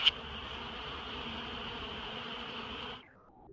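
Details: Bee in flight, filmed in slow motion: a steady high whining buzz holding one pitch for about three seconds, then fading away abruptly.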